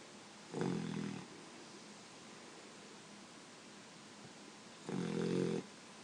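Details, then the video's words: A puppy asleep gives two low, rattling snores about four seconds apart, each under a second long, with soft room hiss in the pauses. "Snoring Puppy"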